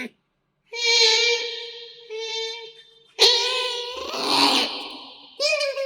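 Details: Indoor pet otters Kotaro and Hana, close-miked during a meal: drawn-out, high, reedy whining calls in several bursts, one rising sharply at the start, with a rougher, noisier squeal in the middle.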